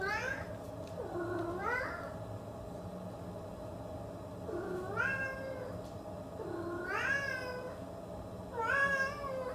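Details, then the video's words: Siamese cat meowing: four drawn-out, whiny meows, each dipping then rising in a bending tone, spaced a few seconds apart over a steady low electrical hum. "Siamese Cat Sound Effects"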